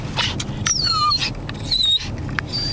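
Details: Excited Pomeranian dog whining as it approaches a dog park: high, thin, whistled cries sliding downward, several drawn-out tones over about three seconds, with a steady rumbling background.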